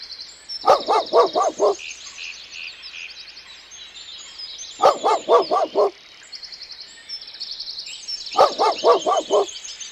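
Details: Dog on a farm barking in three bursts of about five quick, sharp barks each, several seconds apart, while high thin bird chirping continues in the background.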